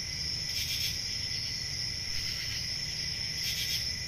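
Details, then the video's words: Summer night crickets in the countryside keep up a continuous high trill, broken at the start and end by brief louder rasping bursts of broad buzzy chirps, with low background rumble throughout. "Relaxing Cricket Sounds For Sleeping"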